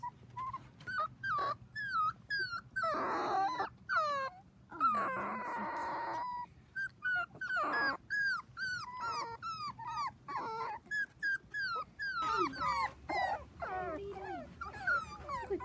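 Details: Seven Dachshund puppies, four weeks old, playing with children on a trampoline: a stream of high whimpers and yips, short arched squeals repeated rapidly with brief pauses, some longer wavering whines, and a woman speaking between them.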